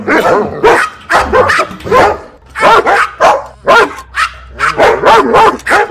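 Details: Loud dog barking, from a compilation of fifteen breeds: quick, dense barks and yelps in close succession with hardly any pauses, some higher yipping notes mixed in.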